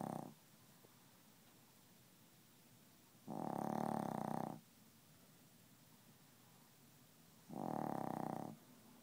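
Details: A sleeping Chihuahua that refuses to wake up snores in slow, rasping breaths, each lasting about a second and recurring every few seconds.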